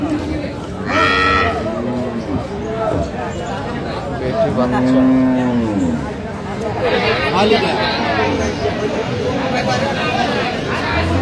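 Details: Cows with calves for sale at Aftabganj cattle market, Dinajpur, Bangladesh, 14 October 2025; several drawn-out, arching moos rise and fall across the stretch, mixed with bargaining voices and market chatter.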